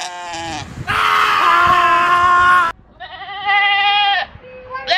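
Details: Goat in a funny farm-animal compilation, screaming in long, loud, harsh bleats, one stretching nearly two seconds, followed by a shorter quavering bleat and a final rising cry.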